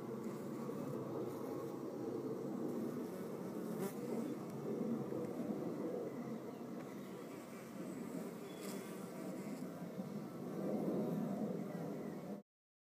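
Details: Fighting red mason bees at a nest hole among mud-built cells; sustained rough, churning buzz with irregular pulses, louder toward the end before cutting off abruptly.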